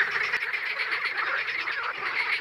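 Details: Male green frogs at Crna Mlaka fishpond reserve, a wetland in oak forest in Croatia, form a dense, unbroken chorus of rapid, rattling, nasal croaks. They call to warn rivals while competing for the right to mate.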